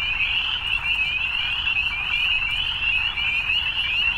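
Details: Evening chorus of frogs, a bright, pulsing high trill sustained without gaps, slightly wavering in pitch across the whole stretch.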